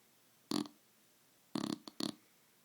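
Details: Roxy, a sleeping dog, snoring indoors: short nasal, throaty snorts, one at half a second, then a tight cluster of three between 1.5 and 2.1 seconds, with quiet room background between them.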